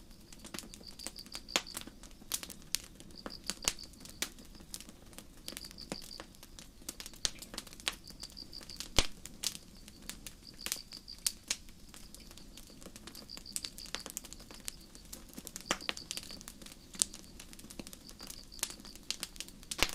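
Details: High-pitched trilled chirps of crickets in a night-time forest, repeated in steady bursts about every one and a half seconds, mixed with a constant crackle of burning campfire wood.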